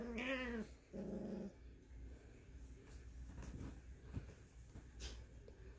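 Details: Scottish Terrier mother at play with her six-week-old puppy on Mother's Day, indoors: a high wavering yelp-like growl, then a lower buzzy growl, followed by soft rustling and scuffling.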